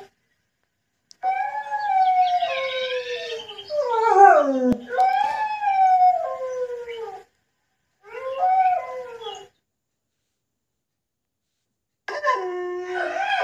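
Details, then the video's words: Ten-month-old German Shepherd howling in drawn-out, tonal wails that slide downward in pitch, several overlapping voices in the first bursts, then shorter howls separated by silent pauses. "Make Your Dog Howl | 10 Months Old German shepherd | Howling Dog"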